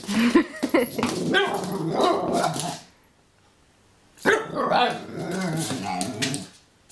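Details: An Italian Greyhound playing with a wind-up toy gives rapid, irregular barks and growly yips in two bursts separated by a pause.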